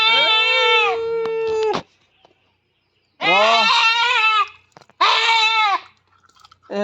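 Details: Loud, drawn-out bleats from a goat held for artificial insemination on a goat farm: a long, steady, strained cry, a pause, then two more wavering, nasal bleats close together.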